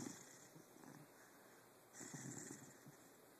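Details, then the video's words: Jake the dog snores quietly in his sleep, caught on a phone in the dark: two soft, breathy snore pulses about two seconds apart over a faint hiss. "Jake snoring, barking, and motorboating"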